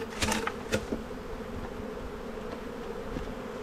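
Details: Colony of honey bees humming steadily while a beekeeper works frames in spring buildup; sharp knocks of equipment in the first second, then the low, even drone carries on alone.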